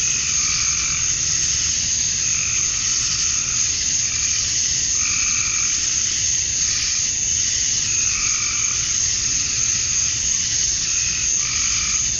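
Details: Cicadas at dusk on a summer night in Georgia, USA, males chirping to draw females: a continuous high-pitched buzzing blanket, overlaid by short pulsed mid-pitched calls in bursts every one to two seconds.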